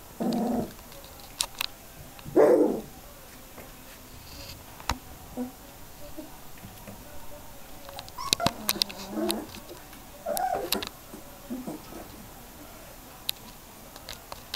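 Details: Border Collie puppies, three weeks old, learning to play and vocalise: several loud whining yelps with a harmonic ring, some drawn out, spread through the recording, alongside scattered clicks and light tapping indoors.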